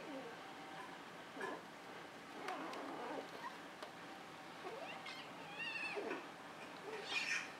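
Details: Molly and Annie, two cats playing on top of a cat tree indoors; soft, faint meows with rising and wavering tones around the middle and end, amid light rustling and thumps of movement.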